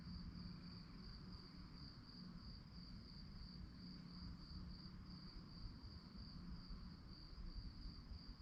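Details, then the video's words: Crickets chirping at night: a steady, high, finely pulsed trill running unbroken throughout, over a constant low rumble of background noise. "relaxing sounds of crickets"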